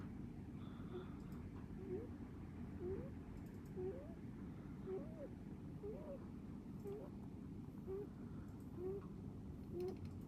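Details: Pet rabbit snoring, a faint squeaky rising whistle on each breath, repeated about once a second over a steady low background hum.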